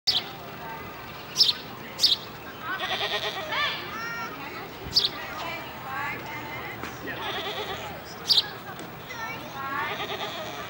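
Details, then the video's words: Goat at the Peoria Zoo in Peoria, Illinois, recorded April 23, 2016, giving a series of wavering, nasal bleats that rise and fall, about every two seconds, with a few sharp knocks and clicks between calls. "Goat vocalizing"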